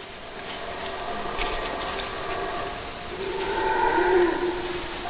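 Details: Howler monkeys giving deep, droning roars that overlap into a continuous rumbling chorus, swelling louder and rising slightly in pitch toward the end.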